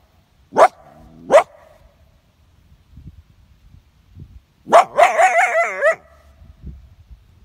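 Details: Wild coyote caught in a leghold trap in Vermont, held by a trapper: two sharp, short barks half a second apart, then after a pause a longer wavering, quavering yelp-howl lasting about a second, with faint background rustling.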